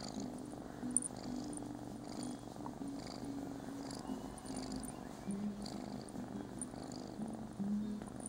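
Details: A Scottish Fold cat gives a soft, unbroken purr before a nap while getting a little attention, low and vibrating, rising and falling slightly with each breath, over faint indoor background sounds.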